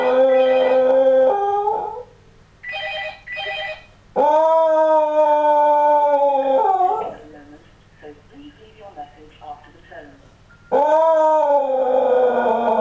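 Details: Fergus, a Scottish Terrier, howls when the phone goes off, sounding like a wolf: long sustained tonal howls with wavering pitch, separated by short whimpers and quieter pauses, with a person's voice briefly in the gaps.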